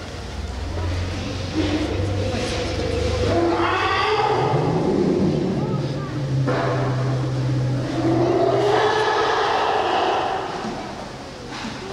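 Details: People talk steadily over a low droning hum like a passing vehicle. No distinct animal call stands out from the noise.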